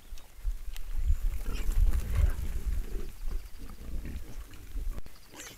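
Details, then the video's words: Several wild boars (wild hogs) letting out deep guttural grunts and growling snorts in quick bursts, loudest in the first three seconds, then softer rumbling grunts. "Wild boars wild hogs."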